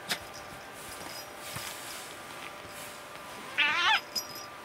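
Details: Tuxedo cat at play gives a single brief, quavering, strained meow near the end, after scattered taps and rustles in a quiet indoor space.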